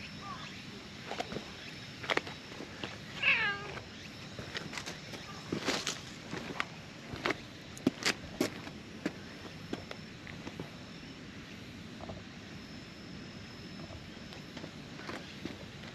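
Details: Orange tabby stray cat, found sleeping in tetrapods, emerges gladly at a familiar face, giving a single short meow early on amid frequent clicks, knocks and steady outdoor background noise.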